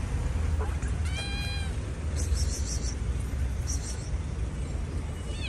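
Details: Stray cats fed by hand, one giving a single drawn-out, slightly rising meow with clear harmonics near the one-second mark, over a steady low traffic rumble with brief high chittering sounds behind.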